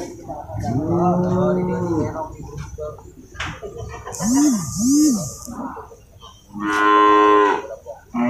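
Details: Water buffalo calling at Purwakarta's large livestock market, West Java, 21 November 2022, among cattle being loaded and unloaded: a long, even bellow, then two short swooping sounds, then a brighter rising moo near the end.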